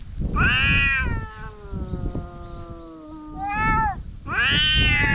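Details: Two stray cats in Japan in a vocal quarrel, one perhaps Dufy, filmed with a GoPro HERO8: a harsh, rising yowl flows into a long, steady, moaning wail, then breaks into another rising, strained cry, with low rumbling background noise.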